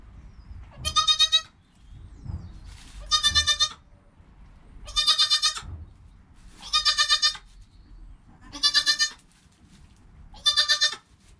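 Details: Within an hour of birth, goat kid Joel calls beside his mother Penny, recorded with a GoPro: six high-pitched, vibrating bleats at steady intervals of about two seconds, separated by soft movement noises.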